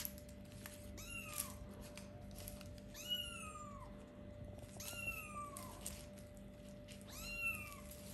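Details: Kittens about four weeks old, just starting to play and look around, give high, thin meows that rise then fall, four clear calls spaced roughly two seconds apart over a steady low hum.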